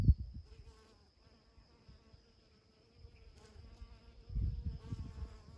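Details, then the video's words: Honey bees working alsike clover blossoms on 8 June 2020. A steady humming buzz runs through the whole stretch, growing fuller near the end, with low wind buffeting and a brief knock at the start. "Honey bees on Alsike Clover, 8 June 2020"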